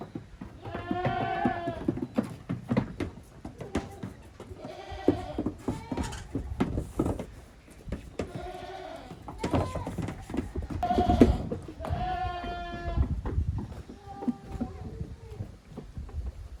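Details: Young goats playing hard in a farm exercise yard, 30 April 2023. Repeated wavering bleats from more than one kid sound every two to three seconds, mixed with thuds, scuffles and clatter.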